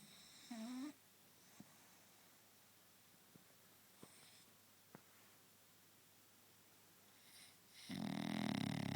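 A French Bulldog gives a brief nasal, rising snort, then a loud, rough, rumbling snore.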